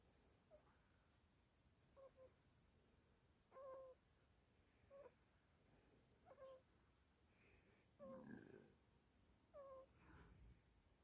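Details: Teething Chihuahua puppy named Toby, up all night and exhausted, giving soft high whimpering cries, short tonal whines with falling pitch repeated every one to two seconds, in a quiet indoor room.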